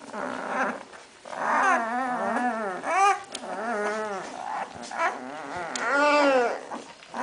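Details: Hungarian Vizsla puppies in a litter born 8 May 2012, recorded 21 May 2012, giving high, wavering whines and whimpers that rise and fall, with short yelps in between and overlapping voices.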